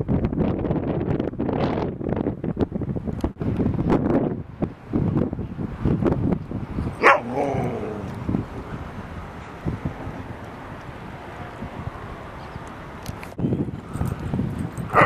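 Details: Dogs Rosy and Rocky playing with a husky puppy at Seal Point Dog Park on the western side of San Francisco Bay, September 14, 2015; a rough scuffling stretch, then one clear harmonic bark midway, followed by quieter background rumble.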